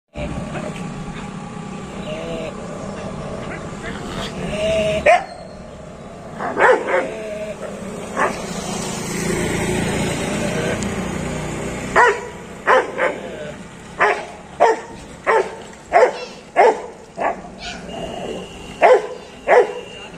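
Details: A Rottweiler confronting a street dog barks in sharp, deep bursts about once a second, with voices and traffic in the background.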